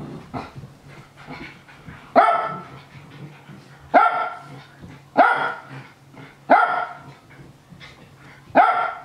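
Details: Japanese Spitz named Nana barking with delight as housemates Ruru and Milmel tussle. There are five loud, clipped barks at uneven gaps of one to two seconds, with softer scuffling and a constant low electrical hum between them.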